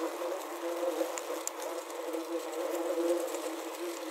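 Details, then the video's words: Wasps trapped inside a wasp trap, recorded with a Zoom H6 and Korg CM-300, give a dense, steady low buzz with a wavering drone and faint ticks and taps of wings against the trap. "Wasp Trap Soundscape | Ambient Sounds of Wasps Trapped Inside"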